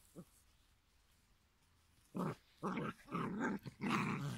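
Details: Giant schnauzer puppies at five weeks old: after a quiet stretch, a run of five rough, throaty growl bursts, each about half a second long, follows in quick succession in a small room.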